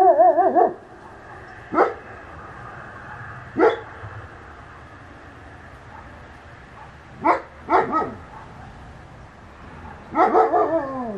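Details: German Shepherds on night guard patrol in Slaughterville, Oklahoma, recorded by a game and security camera at night: irregular deep barks, about six bursts in eleven seconds, some doubled, with ringing harmonic tails over quiet background.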